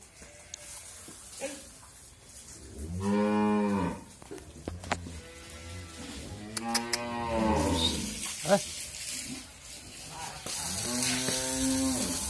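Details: Family-kept Friesian cow in Bhangura, Bangladesh, heavily pregnant with her second calf, lowing three times with drawn-out, rich, slightly wavering moos amid clicks and indoor noise, a brief human exclamation following.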